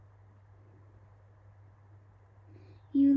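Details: Steady low hum fills a quiet room, broken at the end by a sudden loud electronic tone like a busy signal.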